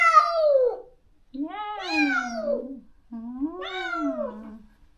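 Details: Neutered stray cat in a countryside yard, crying daily for its companion separated after neutering: three long, loud wailing meows, each sliding and wavering in pitch, the last two rising then falling, with short pauses between.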